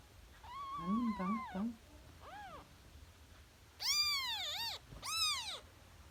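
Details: Newborn kitten, three days old, calling with loud high mews that rise and fall, a wavering lower cry first, then a short one and two long strong wails near the end, quiet between.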